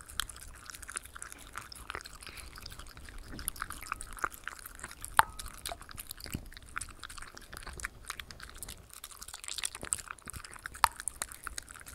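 Only wet chewing, crunching and occasional clicks are heard in a quiet indoor room, with no animal calls.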